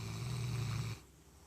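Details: Baylee, a 13-year-old Golden Retriever, sleeping and snoring. One low, rumbling, steady snore lasts about a second, then breaks off into near silence.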